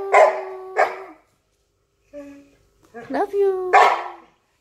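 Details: Akyro the Samoyed, reluctant to be talked with, lets out two short harsh barks, falls quiet, then gives a rising whining moan and a final bark, with a person's voice faint between.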